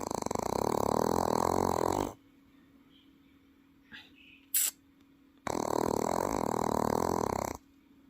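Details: Welsh Corgi asleep at home in Paju, producing two drawn-out, buzzing, human-sounding snores of about two seconds each, separated by a quiet pause with a faint click and a soft rustle.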